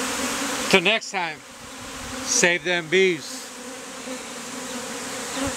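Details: Bee beard of honey bees on a performer after the colony was hived out of a statue; an even, low drone runs throughout, broken twice by short bursts of a man's voice.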